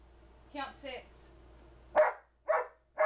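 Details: Charlie, a two-year-old male Old English Sheepdog trained to count on command, indoors: a person speaks a prompt, then three separate, loud barks about half a second apart.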